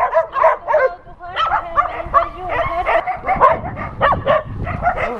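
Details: Many dogs at an adoption center calling out to a visiting TV crew; a rapid chorus of yipping barks and whines overlapping continuously, roughly three to four calls per second.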